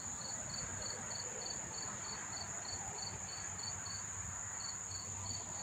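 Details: Crickets in numbers near the Monmouth Park Racetrack in New Jersey, September 4, 2023: a clean steady high trill with regular rhythmic chirps repeating roughly every third of a second, briefly pausing near the end.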